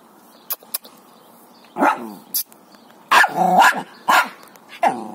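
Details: Jack Russell Terrier, a small dog with a big bone, giving a few short barks and yips spaced irregularly, with clicks and quiet background between.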